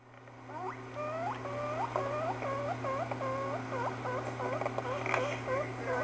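A guinea pig gives a rapid run of squeaky, looping notes over a steady low electrical hum.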